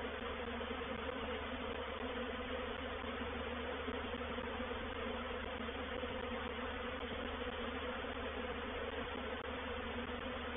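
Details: Honey bees of a reproductive swarm settling into a bait hive at Painted Peacock Manor, 04/07/21; a dense, unbroken buzzing drone with a strong low hum, even in loudness throughout.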